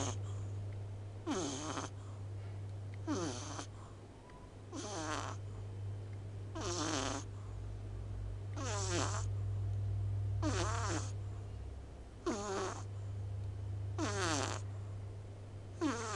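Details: Pet cat, small yet snoring loudly while sleeping with half-open eyes: nine rasping snores spaced roughly every two seconds, each with a whistly tone gliding downward, steady low hum in the room.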